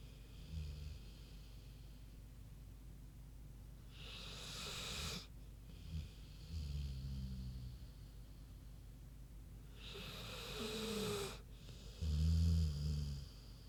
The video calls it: Big Pig Snoozin' (HD Queenie Snoring Audio)